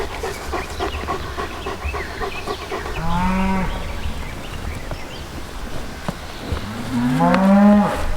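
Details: Young Polish white-backed bull at Radolinek, Poland; two drawn-out, low, rising-then-falling moos about four seconds apart over a steady background rumble and faint music.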